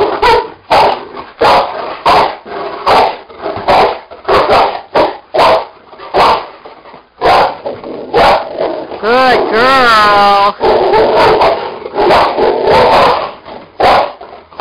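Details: Two Cane Corsos playing on an indoor springpole: steady series of short, rough barking bursts and growls, with a wavering, drawn-out whine near the middle, as a person talks and praises in the background.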